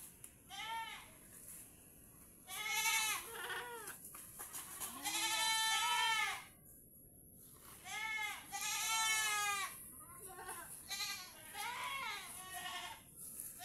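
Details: Several tethered pet goats on a Philippine farm bleating in turn, about twenty calls a minute, some long and quavering, others short and clipped, overlapping at times, with a constant faint high-pitched whine behind them.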